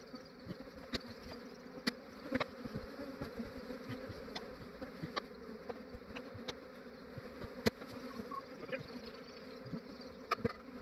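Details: A massive honey bee swarm being captured by an Australian beekeeper early in the morning, before the day warmed up. The dense, steady droning hum of many bees is overlaid by sharp clicks and knocks from handling.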